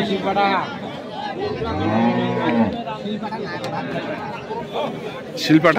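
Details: At the Ambari cattle haat in Parbatipur, Dinajpur, Bangladesh, where beef cattle are sold, 6/1/2025: one long low moo rises then sinks over about a second, amid buyers' chatter and market noise, with a sharp knock near the end.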